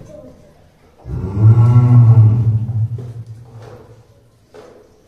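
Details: Caged tiger, one of the pair Dai and Ouga at Ehime Prefectural Tobe Zoo, Tobe, Ehime, Japan, filmed in early December 2023 while growling and pacing; a single deep, rumbling, sustained growl of about two seconds, with quiet indoor background.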